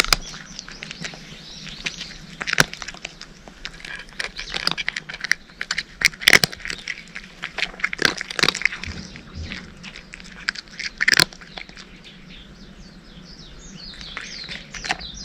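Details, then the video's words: Cat eating dry food with scattered crisp crunches and clicks, some bites loud and sharp, quieter gaps between them, and faint bird chirps toward the end. "カリカリッ！ カリカリッ！ Pleasant cat chewing noises!"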